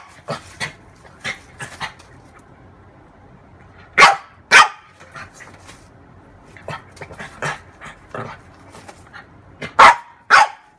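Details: Female French bulldog playing with her reflection, with quiet huffs and small yaps that break into pairs of loud, abrupt barks, then fall back to softer chuffing and panting.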